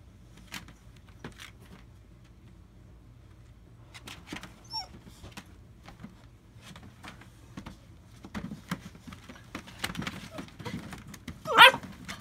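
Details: AKC-registered German Shepherd puppies, north central Florida, July 2017: a few thin, wavering whimpers midway, then one sharp rising yelp near the end, over soft shuffling and knocking indoors.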